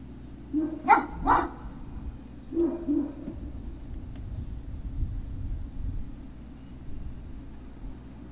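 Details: Great Dane puppies at Puppy Hill, 03-06-2019, afternoon: two quick barks in close succession, a third a little later, then quieter rustling and soft noises against a constant low hum.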